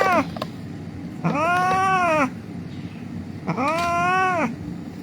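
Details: Rescued street cat, injured and crying while held for treatment: three plaintive meows, a short one then two long arched cries about two seconds apart, backed by low rumbling traffic.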